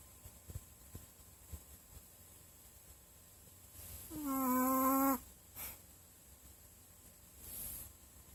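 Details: Snoring dog asleep: a single loud, tonal, whiny snore lasting about a second, preceded by faint soft clicks and followed by gentle breathing puffs.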